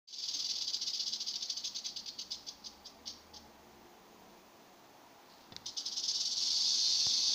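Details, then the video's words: Western diamondback rattlesnake, Crotalus atrox, shaking its tail: a dry, hissing buzz that slows into separate clicks, stops for about two seconds, then returns as a steady loud buzz. "Es klappert die Klapperschlange"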